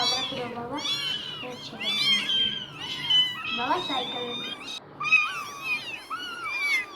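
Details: High-pitched squeaky meows from newborn domestic kittens only days old, several voices crying at once in short rising and falling wails, with a faint human voice underneath.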